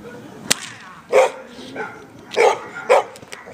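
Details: Amba, a Labrador Retriever, barking during defence training at FREEDOG: three loud, short, harsh barks spaced over about two seconds, preceded by a single sharp whip-like crack, with faint voices in the background.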